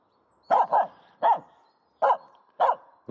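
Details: Quick clusters of sharp, mid-pitched barks, some doubled, come from Aamu, a female dog playing with a stick in an empty horse pen.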